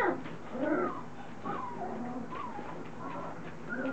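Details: Three-week-old Standard Poodle pups in a litter becoming vocal as they move about and begin to play; a steady stream of soft, wavering whines and little squeaks, several voices overlapping, with a low background hum.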